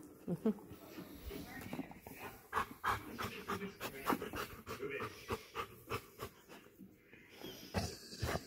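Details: Golden Retriever named Rex panting while watching TV shows indoors; quick breathy puffs come in a steady rhythm of about two per second, with voices and television sound running underneath.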